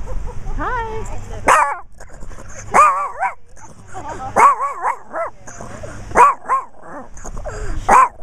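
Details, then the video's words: Chihuahua barking, filmed in macro with a Kodak Zi8: high-pitched, harmonic yaps and whiny squeals arriving irregularly every second or two, some barks sliding up and down in pitch, with low background rumble. "chihuahua barking"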